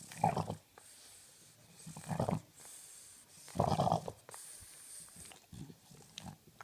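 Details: Tired French bulldog snoring and snorting, with three loud rough breathy snorts about two seconds apart, separated by quieter wheezy breathing.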